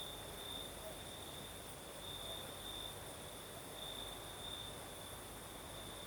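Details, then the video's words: Crickets sing through a southern Crimean night as a breeze blows; one shrill trilling tone runs unbroken, swelling in brief pulses, over a low hiss of moving air. "Звук ночи. Юг. Крым. Сверчки поют."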